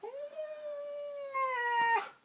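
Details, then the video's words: Poodle indoors reacting to fart noises made on an arm, giving a single sustained, steady, tonal howl that holds one pitch for about two seconds, then rises slightly louder before cutting off. "poodle hates fart sounds"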